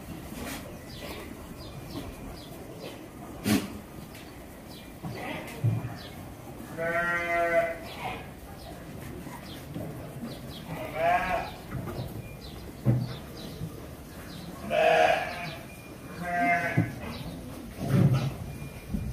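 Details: Goats at a goat lodging and boarding farm in Virar, Mumbai, at feeding time: several wavering, nasal bleats with stacked harmonics, about four clear calls spread through the recording, over low background rumble and clatter.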